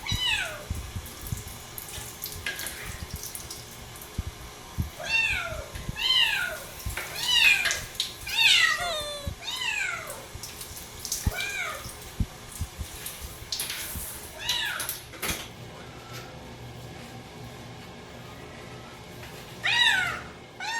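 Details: Domestic cats on bath day, one of four housecats, loud insistent meows roughly once a second, each sliding downward with strong overtones, quieter after fifteen seconds, then one last meow over running water.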